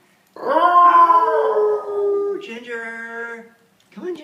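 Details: Basenji Ginger Snap, a year-and-a-half-old female, vocalizing for the first time in November 2013 while coaxed indoors: a sustained harmonic, yodel-like howl lasting about three seconds, briefly wavering then steadying. A short vocal sound follows after a pause.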